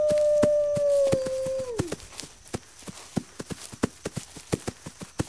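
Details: A single long wolf howl, held steady and then dropping sharply at its end after about two seconds, followed by quiet with scattered crackling clicks.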